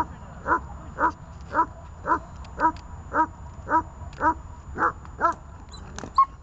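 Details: Glemmy, Fela and Rey, dogs held on a leash; about eleven evenly spaced, clear barks come roughly every half second, each short and mid-pitched, ending with a higher squeak.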